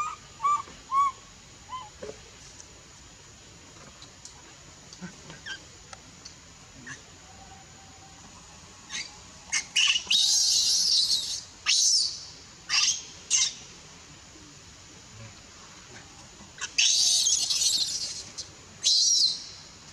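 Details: A baby monkey in the Bayon area cries while its mother pushes it away and refuses it milk. Harsh, high screams come in loud bursts, clustered late in the recording, between short rising squeaks.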